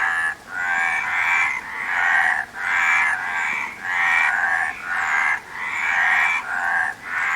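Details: Frog croaking in a steady series, roughly seven rasping, harmonic-rich croaks in under eight seconds, each about a second long and separated by brief gaps, over a soft constant background hiss.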